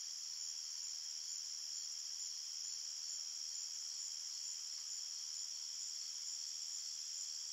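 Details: Forest crickets chirp through the night in a steady, piercing chorus of blended high trills, uniform in volume, with no other animals or voices.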